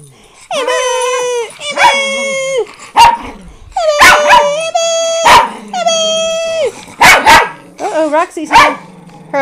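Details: Pet rescue dogs, four Miniature Pinschers and a Doberman, give drawn-out, high, wavering yelps and howl-like cries broken by short sharp barks, the sounds overlapping almost without pause.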